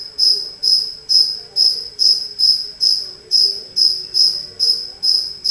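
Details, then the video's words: A single cricket that wandered indoors into a house, chirping steadily in loud, high, ringing pulses, a little over two per second, each with a bright overtone above, with faint low household murmurs underneath. "Cricket Chirping"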